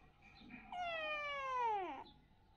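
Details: Kitten, playing indoors, gives one long meow lasting over a second, bright and harmonic-rich, starting high and sliding steadily downward to a low drawn-out end; soft room noise around it.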